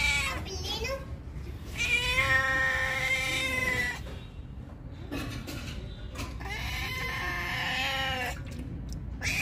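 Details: Hungry cat drinking milk, meowing in long drawn-out wails with rich harmonics, two main meows around two seconds each plus shorter calls between, with faint human voice and background noise.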